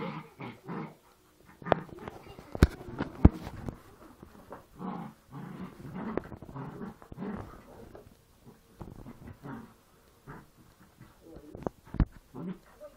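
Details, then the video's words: Play fighting between Poochon puppies, heard as short low growls and grumbles broken by pauses, with sharp clicking knocks and thumps from their tussling. "Poochons play fighting"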